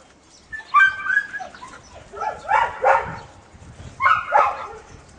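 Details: Toro the dog romping with canine friends at Puppies Park, giving bright, harmonic barks in three quick pairs, each pair a second or so apart, fairly close and loud.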